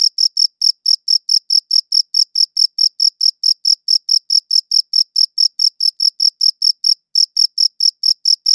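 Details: Chirping cricket, one of the crickets shown, giving a fast, regular train of high, bright pulses roughly four per second, with one brief hesitation near the end; no other sounds.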